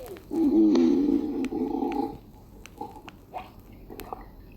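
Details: A deer's stomach rumbles while it is being scratched on its rump: a long, gurgling rumble wavers in pitch for nearly two seconds, then softer squelches and faint clicks follow as the gut sounds settle.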